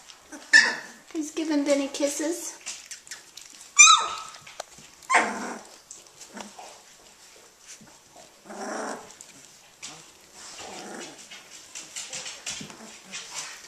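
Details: Australian Shepherd puppies, 18 days old and just starting to play, give high squealing yelps and whines in scattered bursts, with people talking nearby.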